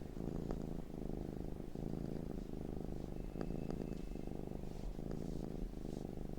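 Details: House cat purring, a steady low buzzing rumble rising and falling in short regular pulses, with a faint thin whine briefly audible midway and a few soft clicks.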